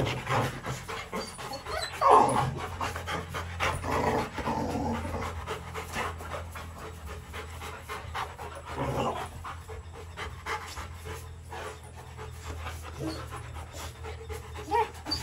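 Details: Rottweiler puppies Bruno and Dora in their kennel, breathing in soft, uneven panting bursts with one short whining squeak near the start, over a steady low background hum.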